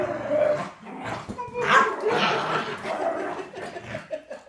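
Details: A Miniature Schnauzer grumbles and whines in uneven, wavering yelps, jealous of a beagle-boxer mix staying in the home, with a human voice faintly behind.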